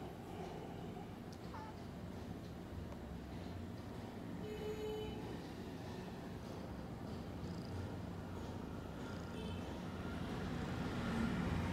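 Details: Tiny kitten cuddling with its sister Browny, a steady low rumbling purr running throughout with a fine rapid pulse, growing slightly louder toward the end; faint brief rustles above.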